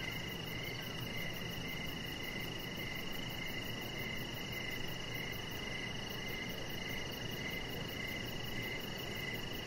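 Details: Evening crickets calling near a deck. A regular train of short, high chirps pulses on without pause, layered over a constant shrill drone and soft broadband outdoor noise.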